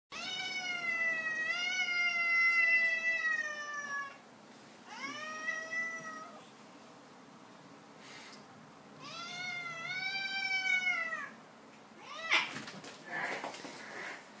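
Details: Cat, fed up with being played with, attacking and chasing a man: long drawn-out meows with rising then falling pitch, three extended calls with pauses between, followed by rustling and scuffling noises indoors.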